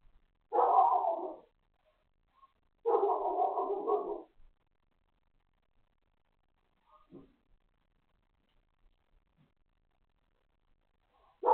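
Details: Lola, a dog, barking at 9:42 am on 29 December 2020, part of barking that went on all morning; two loud, harsh bursts of rapid barks about two seconds apart, then a faint short sound and near silence before a final bark begins.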